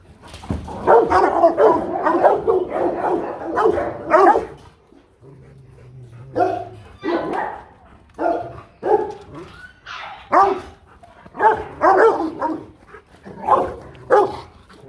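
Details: Rottweiler guard dogs at a kennel in Vietnam giving powerful barks: deep, rough bursts in quick runs, a brief lull near the middle with a low hum, then barking resumes in spaced volleys while a man speaks nearby.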